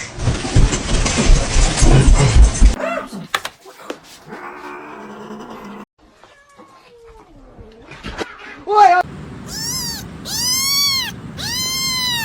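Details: Pet cat heard after a stretch of loud noise, rustling and faint vocal sounds. Three loud, clear, arched meows follow near the end, each rising then dropping, repeated about once a second over a steady low background hum.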